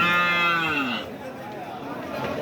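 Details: A cow at a busy cattle market held just after Eid in Ullapara, Sirajganj, Bangladesh, gives one loud, rich, harmonic moo lasting about a second. The moo slides lower as it ends, and market chatter and voices follow.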